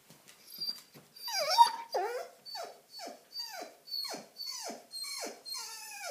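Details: A German Shepherd, one year seven months old, indoors and eager to go outside to play, gives about eight descending whine-howls in quick succession, each sliding down in pitch, roughly every half second to one second.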